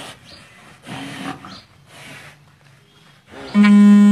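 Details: Kangayam cow moments after calving, calling as she sees her newborn calf; a long, loud, steady low moo with many stacked harmonics begins near the end, after quieter rustling and soft sounds.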